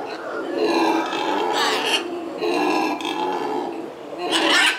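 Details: Four newly arrived female black howler monkeys and another troop (a male and a female) at a zoo, seeing and hearing each other through a tunnel system without contact, trade rough, guttural grunting howls; they howl mainly to establish territory.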